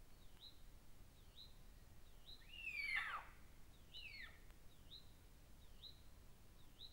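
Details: Wild cougar, or mountain lion, caught on a trail camera, giving one loud, sharply falling whistled cry near the middle, then a fainter, shorter echo of it a second later, over a steady background of small high chirps repeated about every second.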